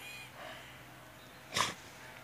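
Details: A male Staffordshire Bull Terrier in a park in Congleton in summer 2016 gives a single sharp, broadband bark, eager to chase squirrels.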